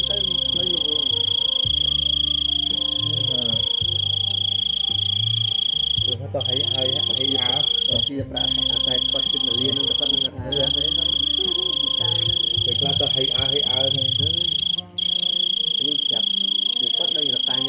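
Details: Big cricket screaming loudly: a long, even, very high ringing tone interrupted by four quick gaps, with people talking throughout in the background.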